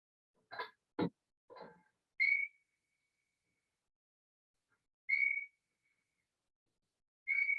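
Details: An African yellow-winged bat's echolocation call, slowed down 16 times: long, steady whistles, each held on a single unchanging pitch, like a kid with a whistle.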